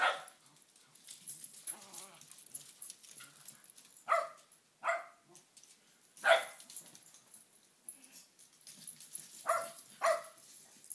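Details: Shin-attacking Shetland Sheepdogs bark in sharp separate bursts, pairs around four to five seconds and near ten seconds, with a single loud bark between and low scuffling and panting noise throughout.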